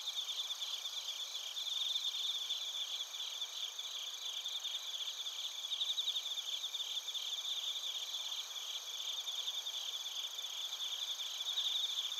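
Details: ['Crickets, including bell crickets, sing in Narita, Chiba Prefecture, Japan, recorded with a TASCAM Portacapture X8. Many insects overlap in a continuous high-pitched shimmer of rapid pulses that swells and fades gently throughout.']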